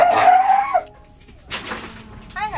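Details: Elena, a northern fur seal at Ise Sea Paradise aquarium, before her move to Nasu Animal Kingdom. One drawn-out, slightly rising tonal cry lasts under a second. Quiet follows, then a keeper's calm Japanese voice.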